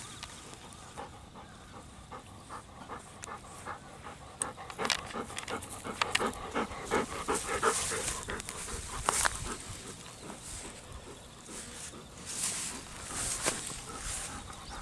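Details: Golden Retriever panting while being combed in a rice field by an office entrance on a warm day, one of two dogs, Kohaku and Ibuki; rapid rough breaths, nearly three per second, with rustling and a high insect hum behind.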